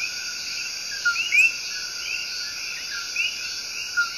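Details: Love song of the Coqui tree frog from El Yunque Rainforest, Puerto Rico: a brief low note followed at once by a rising whistled note, with fainter similar calls later, above a dense high-pitched rainforest chorus.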